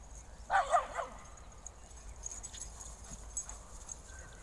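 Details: German Shepherd, three years old, recorded on 10 March 2024 alongside a seven-month-old golden puppy; a pair of quick, harsh barks lands just after the half-second mark, followed by a quiet outdoor background with faint distant sounds.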